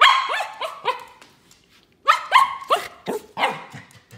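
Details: Poodle dog barking in two quick bursts of high, yappy barks, about four sharp barks in each burst with a short silent gap between them.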